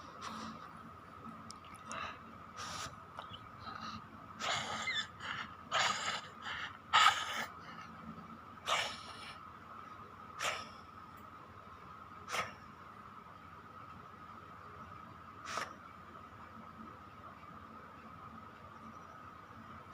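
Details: Chiko, a pet dog, snoring while asleep: irregular breathy, snorting bursts bunched in the first eight seconds, then spaced several seconds apart over a steady faint hum.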